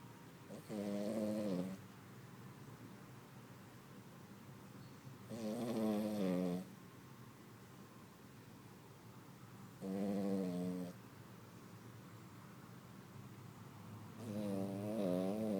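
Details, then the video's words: Female Poodle asleep at a small farm after a day of canine activities, snoring in four long, harmonic, slightly wavering breaths, each about a second long and spaced roughly every four to five seconds, with quiet room hiss between. "Cadela Poodle ronca - cachorro Poodle roncando"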